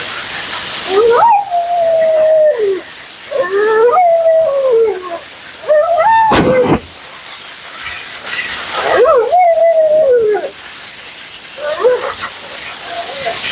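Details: Mila the Siberian Husky, a vocal female in for her second groom, lets out repeated howl-like wails while being bathed and dried. Each rises quickly, holds steady, then sags, about five times, over persistent hissing noise.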